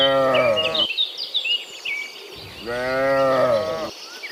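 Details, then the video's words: Morning moos from cows coming back from the field to their pen: two harmonic lowing calls around a second each, separated by a pause filled with busy bird chirps and twittering. "Sound of Moo Cows in the Morning, Returning from the Field to the Pen, Sound of Cows"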